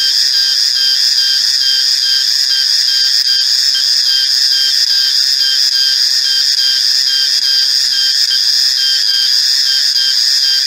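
A cicada gives a loud, steady, high-pitched ringing drone that holds unbroken throughout.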